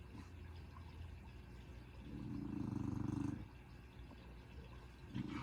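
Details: Willow, an overweight female dog lying very relaxed, gives one long, low, rattling snore lasting over a second, then a quieter rumble begins near the end against faint background hum.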